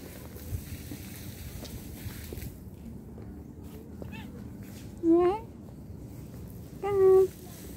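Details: Cat calling out while separated from its owner, giving two separate meows a couple of seconds apart, the first short and bent, the second a flatter sustained cry, against quiet surroundings.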